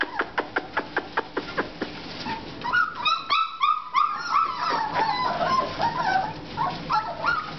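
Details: Four-and-a-half-week-old American Bulldog puppies: a run of quick tapping clicks opens, then overlapping squeaky whines and thin yelps follow, bending up and down in pitch without a break.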